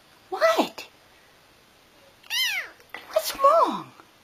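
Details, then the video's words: Pet cat yelling back at its owner: a clear arched meow in the middle, between two shorter, rougher vocal bursts, with a woman's coaxing voice nearby indoors. "Cats Talking With Their Humans | Funny Cats Yelling Compilation"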